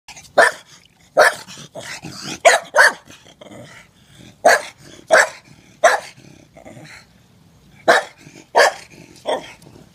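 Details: Staffordshire Bull Terrier playing and running around a pool, giving short sharp barks in irregular bursts, some doubled, with brief quiet gaps between them.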